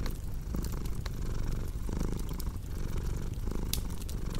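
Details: Short stretch of a cat's soft rumbling purr, pulsing gently, mixed with scattered dry pops and crackles of a fire.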